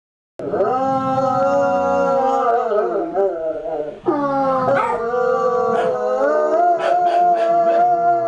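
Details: A Bloodhound gives a long, deep, wavering howl at a passer-by, joined by a West Highland Terrier's higher yips and howls, with a third dog also howling.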